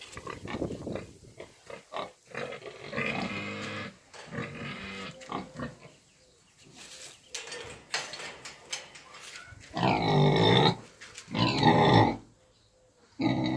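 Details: Eight-month-old piglets of a Romanian breed: scattered short grunts and snorts, then two long, loud, strained squeals with rich harmonics near the end, separated by a brief quiet gap.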